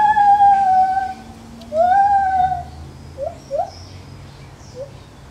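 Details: A Lar gibbon in a zoo utters two long, loud, slightly wavering hoots, then several brief rising yelps that fade away, with a faint low hum underneath.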